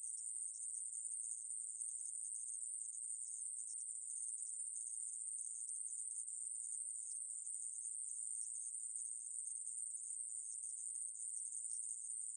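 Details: Aemaeburi grasshopper calling in a long, uninterrupted high-pitched buzz that barely changes in loudness. From the National Institute of Biological Resources, 2020, with a clean background.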